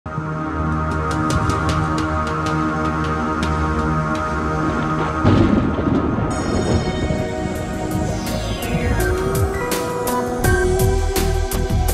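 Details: Dramatic, dark soundtrack music with sustained tones and rising effects plays throughout, and no animal is heard.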